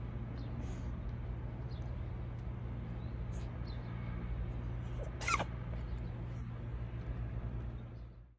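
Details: Siamese cat (Felis catus), sneeze.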